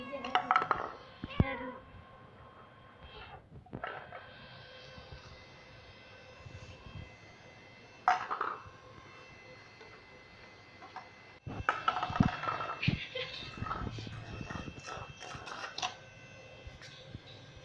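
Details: Persian cats at play indoors, giving short harmonic meows in three bursts: near the start, around the eighth second and again near the twelfth. A woman talks over them against a steady background hum.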